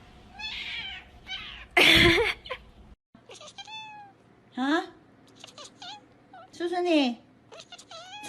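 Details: Domestic cat meowing in a funny pet compilation: several short rising-falling meows with clear harmonics, separated by pauses, with a loud burst of noise near the start and brief voices.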